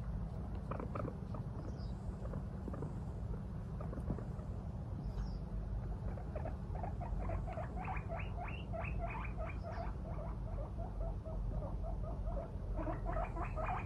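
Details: Female pet guinea pig out of her cage in the morning, watching when her owner oversleeps; after quieter rustling, a fast run of short, squeaky harmonic calls repeats several times a second, over steady low household hum.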